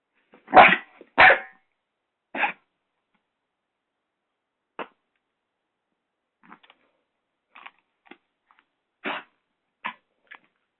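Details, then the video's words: Six-month-old Doberman puppy barking while attacking a hairdryer indoors: two loud, sharp barks open, then a scattered series of shorter, quieter yaps and barks with pauses of silence between them. "Doberman puppy fighting the hairdryer !"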